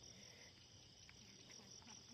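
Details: Many crickets calling together: a steady, unbroken high-pitched ringing trill that runs through the whole stretch over soft background hiss.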